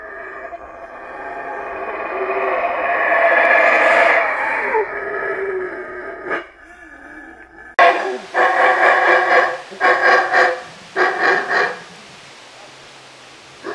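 Howler monkey giving a long, swelling roar, then a series of harsh, rhythmic roaring bursts.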